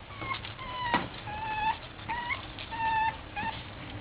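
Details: Boston Terrier puppies playing, giving a run of high whimpers and whines, each a short tonal cry repeated about once a second, some rising at the end, over a low steady hum.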